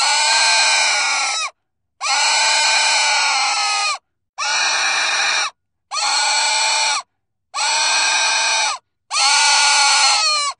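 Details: Shrill pig screams come in six long, strained bursts of one to two seconds each, separated by brief silences, harsh and evenly loud throughout.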